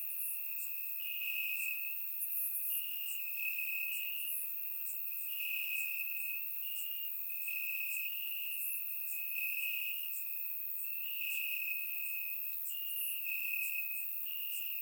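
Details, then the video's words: Night chorus of crickets in summer grass in Bulgaria, surround-microphone recording: a continuous high trill swelling in roughly one-second pulses, with scattered sharper chirps from more distant insects overhead. "Cricket Sounds - Crickets Chirping at Night"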